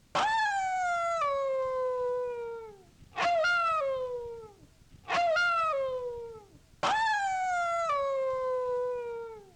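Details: Yorkshire Terrier giving four long, clear, tonal wails, each starting high and sliding steadily downward before fading, spaced roughly every two to three seconds over a faint, steady background hiss.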